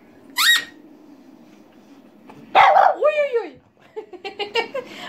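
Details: Pet female French Bulldog barking along to a toy pipe indoors: a short high piped note, then one hoarse bark sliding into a falling, wavering howl, followed by a woman's excited talk.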